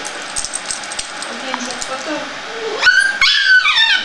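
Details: Scottish terrier giving a few high, thin whimpering yips with rising and falling harmonic whines near the end, after a stretch of French conversation between people indoors.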